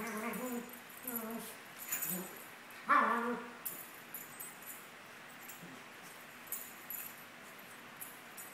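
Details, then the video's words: Maltese pair Sunny and Moony, 17 months old, at play. A few harmonic, rising-then-falling whines and yips come in the first three seconds, followed by quieter shuffling and soft thumps. "Maltese dogs playing"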